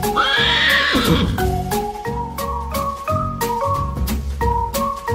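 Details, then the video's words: Horse whinny lasting about a second at the start: a loud, shaky, high cry that wavers and falls away. Bright marimba-like music with a steady beat plays over it and continues alone afterwards. "HORSE SOUND FOR KIDS"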